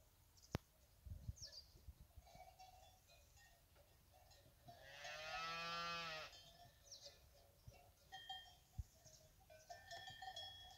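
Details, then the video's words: Fighting bull cows with their calves at the La Paloma brave-cattle ranch; one long, loud harmonic moo of about two seconds, slightly falling at the end, amid cowbells clanking and scattered bird chirps. "ganaderia brava la paloma vacas con sus hijos"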